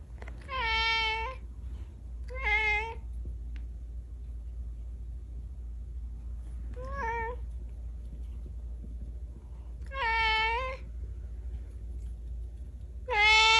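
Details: Domestic cat giving short, clear meows spaced irregularly, two close together near the start, then single meows at longer gaps, each bright and harmonic, in a quiet setting with faint low hum.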